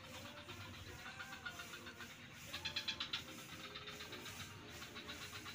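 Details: Frogs in swampland at Kuta beach, Bali, mostly a faint pulsing murmur until a loud run of quick raspy pulses around the middle, over a steady traffic-like rumble.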